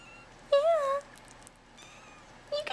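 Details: Hungry bottle-fed kittens emerging from a nursery tent to be fed; one strong wavering meow near the start, then a faint short mew at the end, with low room hum and a woman's coaxing voice nearby.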